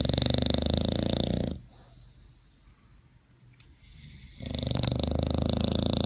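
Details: Bulldog asleep at My Second Home, Dubai, in October 2015, entered in a snoring competition: heavy, rattling, buzzy snores with a roughly three-second hush of soft breathing between two long snoring breaths.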